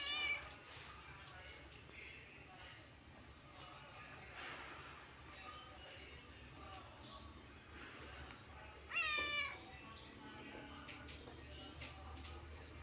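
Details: Orange domestic cat with two separate meows: a short one at the very start and a louder, wavering meow about nine seconds in. Steady background noise and low hum fill the gaps.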